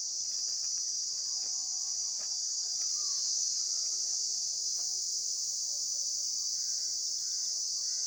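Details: Steady high-pitched insect buzzing fills the recording without a break, while faint short whistled notes, likely birds, appear in the background, more often toward the end.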